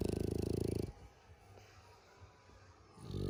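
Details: French Bulldog snoring loudly. A rattling, buzzy snore of fast regular pulses opens the recording, then there is a quieter breathing pause before the rattle returns at the end.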